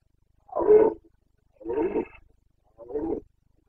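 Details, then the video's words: Carpathian red deer stag in the Bucovina mountains during the breeding season (rut), 29 September 2022, giving three deep, hoarse roars about a second apart, each roughly half a second long, in otherwise quiet surroundings. "Boncănit / Carpathian stag Breeding season"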